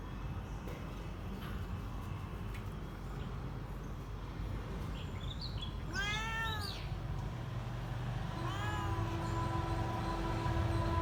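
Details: Kitten giving a warning meow: after several seconds of steady low rumbling background noise, one clear drawn-out harmonic meow rises and falls, followed by a second, softer, flatter mew near the end.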